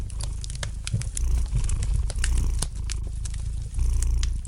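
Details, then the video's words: Domestic cat purring gently beside a fireplace: a steady low rumbling drone with soft swells in strength, broken throughout by sharp pops and snaps of crackling fire. "Relax to the gentle purring of the cat and the light crackling of the fire in the fireplace!"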